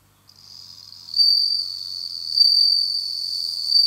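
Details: High ringing trill of a captive bell cricket that has started to sing in autumn, beginning softly, then jumping to full strength after about a second and holding a steady bell-like tone.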